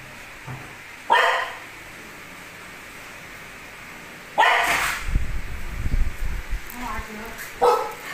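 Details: Nearly two-year-old pet dog calling its owner to take out the trash: three forceful barks spaced several seconds apart, the second followed by a burst of human speech.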